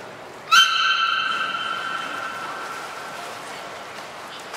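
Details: At Port of Nagoya Public Aquarium, Japan, during beluga training with Gray, Mirai and Niko on 16 December 2018, a single strong buzzy, stacked tone starts abruptly and fades slowly over about two and a half seconds.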